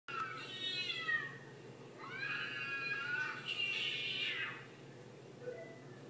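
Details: Domestic cat named Fina, disturbed while watching real cats fighting, gives two drawn-out harmonic meows, the second rising then falling, followed by a faint short squeak near the end over a steady low hum.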